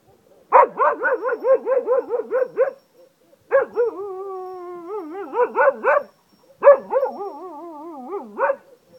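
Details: Cocker Spaniel in Ajloun, Jordan, mixing quick yipping barks with wolf-like howling: bursts of rapid barks about four per second, broken by steady wavering howls, then more barks, in three separate bouts.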